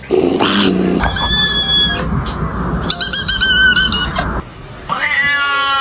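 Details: Domestic cat making high, tonal, drawn-out cries in three bursts of about a second each, with a slight rising and falling waver. Steady broadband noise runs underneath throughout, and faint music may be present.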